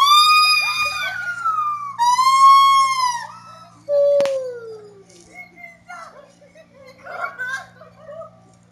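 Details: Siamang song of loud, rich whoops: two arched rising-falling hoots, then a sliding downward wail, followed by fainter scattered calls and a low background hum.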